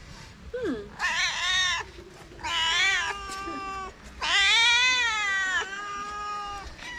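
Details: Several homeless calico street cats in Morocco gather around people and meow repeatedly, giving long, drawn-out cries for affection and food.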